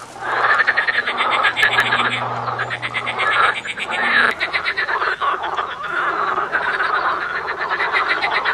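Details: Loud chorus of frogs, rapid clicking croaks stacked into rattling trills that swell and dip, a low hum at the start fading out partway, and a few sharp clicks over the top.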